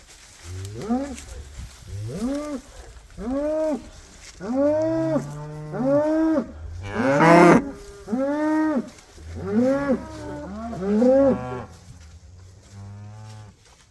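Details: Cattle on winter pasture mooing in a rapid series, about nine arched, rising-then-falling moos spaced roughly one to two seconds apart, several overlapping, before a low drawn-out lowing fades at the end.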